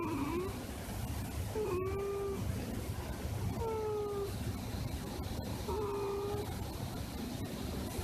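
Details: House cat snoring after settling on a person's lap, unusually for it. Three short whistled nasal tones come roughly every two seconds over a noisy, rustling indoor background.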